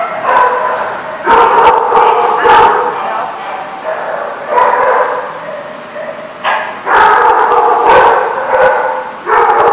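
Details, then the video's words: A group of dogs at The Barking Lot in Rhode Island, 24 January 2014, keeps up steady overlapping barking. Bursts of sharp barks and drawn-out yelping tones rise and fall over constant background clamour. "The Barking Lot RI"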